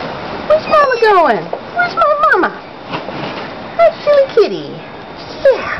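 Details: Young tabby munchkin kitten chattering with a string of quick squeaky meows, pitch sweeping down steeply at the end of each, overlapping a person's cooing talk in a quiet room.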